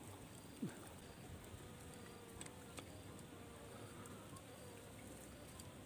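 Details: Asian honey bees (Apis cerana, nyiruan), a wild colony being taken from a tisuk tree to be moved into a box; a low, steady droning hum runs throughout with faint wavering overtones, broken by scattered clicks and knocks.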